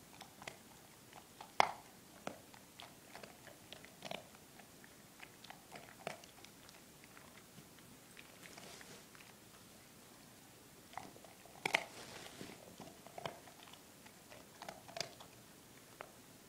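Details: Four-month-old German Shepherd named Drake crunching Milk-Bone treats in a small room: scattered crisp bites and cracking chews, strongest at about one and a half and twelve seconds, separated by quieter gnawing.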